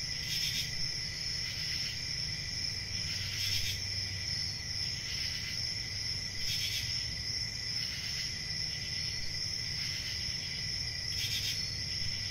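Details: Continuous cricket chorus, high and shrill, with a lower sustained trill layer and regular louder pulsing bursts roughly every two to three seconds; soft low background hum underneath.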